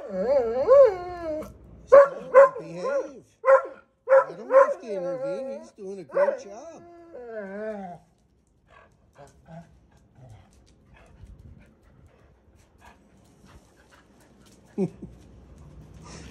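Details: Older dog Colt tells Gustl, a Deutsch Drahthaar puppy on the training bench, to behave. Rapid bursts of tonal, growly barks fill the first seven seconds, then a long hush with soft rustles and one brief thump.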